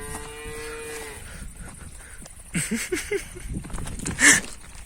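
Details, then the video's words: Heifer in Turkey excited at the sight of barley, chasing its owner: one steady harmonic moo in the first second, then rustling and clattering, a man speaking Turkish nearby. "ARPA İÇİN SAHİBİNİ KOVALAYAN DÜVE"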